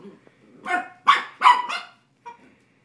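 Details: Coda, a puppy playing with the cat Grizzly, gives a short burst of three or four loud, hoarse barks close together, followed by a small soft yip after a brief pause.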